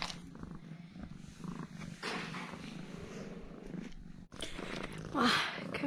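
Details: Domestic cat, usually aloof, purring while acting affectionate and cute after eating two of its owner's sausages indoors; a steady, low, rough rumbling buzz fills the clip, with a brief higher mew near the end.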